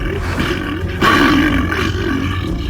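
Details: American black bear (Ursus americanus) gives a deep, rough growl that swells suddenly and rumbles on, used in defending territory and scaring off predators.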